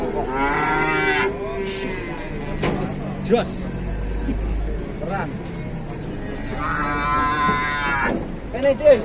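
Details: Cattle at a crowded morning livestock market in Indonesia; two long, harmonic moos near the start and end, with a low rumble between and market noise with faint music behind.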